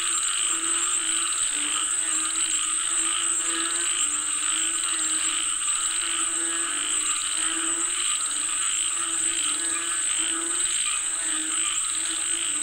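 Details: Many frogs croak together ahead of rain, their pulsing, grating calls rolling on steadily in overlapping waves over an unbroken high whine.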